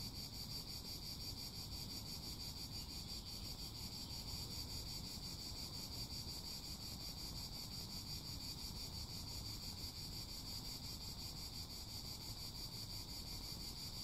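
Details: Cicadas in full chorus: a steady, dense, shimmering buzz held without pause at a high pitch, finely pulsed, over a constant low rumble like wind or distant traffic.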